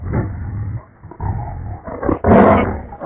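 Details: Tiger roaring: two deep, rumbling growled bursts, each under a second long, followed by a short burst of a person's voice and a noisy higher sound near the end.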